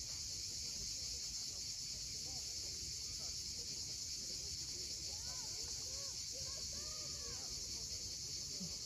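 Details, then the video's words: Sunset on Cape Fiolent's steep Crimean coast, cicadas droning in an even, continuous high-pitched hiss; short arched bird chirps come in toward the end over quiet surf. "Cicadas at sunset."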